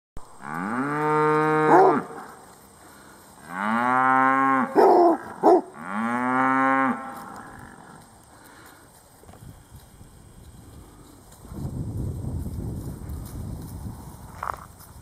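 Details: Cattle met at close quarters by a basset hound: three long, loud moos with stacked harmonics, each about one and a half seconds, falling slightly at the end, then quieter rustling and low rumbling noise.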